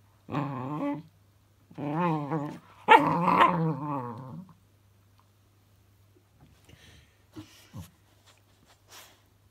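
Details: Puppy named Cookie meeting a fidget spinner toy for the first time, giving three harmonic growling whines in close succession, the last loudest and longest, then quiet with faint shuffling in a small room.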